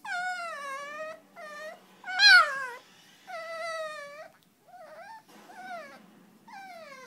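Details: Boston Terrier puppy, upset that he can't jump on the bed, whining indoors: a series of high, wavering, falling whimpers and yelps in short bursts, one sharper bark-like cry near the middle, brief pauses between.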